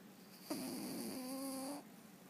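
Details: Scout, a sanctuaried rescue cat, snoring while asleep: one drawn-out, humming snore lasting just over a second, with a steady low pitch that dips slightly and then levels off, in a quiet room.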